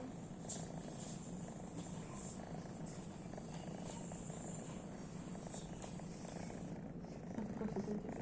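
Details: House cat asleep and snoring, a gentle low purring rumble made of quick regular pulses sustained for several seconds, slightly louder near the end, light hiss throughout.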